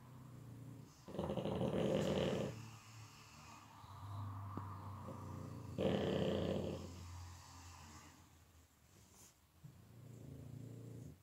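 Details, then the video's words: Pug snoring in deep sleep: loud raspy rattling snores roughly every four seconds, each lasting over a second, separated by softer low breathing hums. "Ich bin Mops Mogli und im Tiefschlaf"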